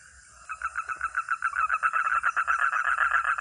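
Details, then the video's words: A frog or toad gives a fast, rattling series of croaks, pulses repeating several times per second, building in loudness after a brief quiet start and continuing steadily. "Real 🐸 sound katak atau kodok || frog or toad"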